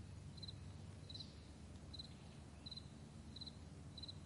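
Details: Cricket chirping on a meadow in the morning, May 9, 2020: brief, high, paired pulses spaced a little under a second apart, softer, with a low plane hum underneath.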